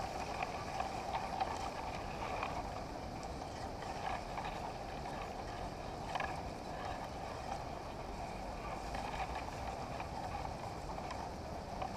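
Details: Steady broadband rushing noise, like wind or engine rumble, with a few faint ticks and no clear animal voice.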